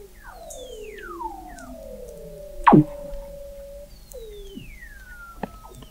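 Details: Weddell seal vocalizations from 21 m beneath the sea ice at McMurdo Sound, Antarctica, November 2017: layered falling glissando whistles, a single loud knock near the middle, then another long downward-sliding tone.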